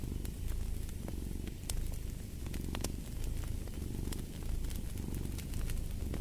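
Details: Deep, even purring of a cat with slow inhale and exhale swells, set against bright intermittent crackling of a wood fire.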